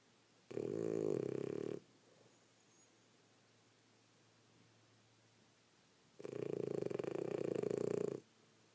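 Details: A female French Bulldog, asleep after a rough day of play, snores in two long, rattling breaths separated by a quiet pause.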